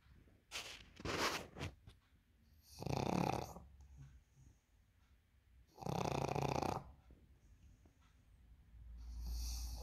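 A pug snores in loud, raspy rumbles, each breath coming roughly every three seconds.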